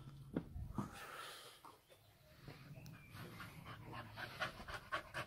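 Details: Pet dog playing fetch at home, excited while waiting for a tennis ball launcher to throw; soft rapid panting breaths with a few louder huffs, faint whirring from the machine in the background.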